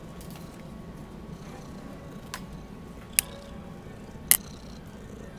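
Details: Vail, a friendly two-year-old red tabby female cat and former Bronx stray at a Bideawee shelter, purring while she plays. A steady low rumbling purr runs throughout, broken by a few sharp clicks and taps.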